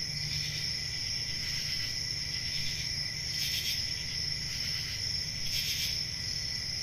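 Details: Crickets on a quiet summer night in the country, an even high steady trill punctuated by a few short louder chirp bursts, with faint low-frequency rumble.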